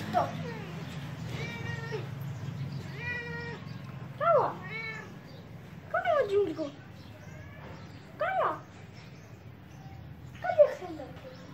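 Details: Domestic cat meowing repeatedly, a series of short bent meows roughly every one to two seconds, some rising then falling, over a low steady hum with a person speaking Hindi nearby.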